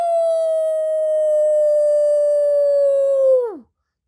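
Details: A gray wolf (Canis lupus) gives one long, steady howl that holds its pitch, then slides sharply down at the end.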